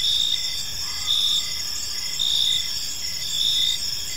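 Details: Crickets chirping in a peaceful park as evening unfolds: a steady high-pitched insect chorus with bright bands of pulsed trills that swell roughly once a second over a constant hiss, with no other clear sounds.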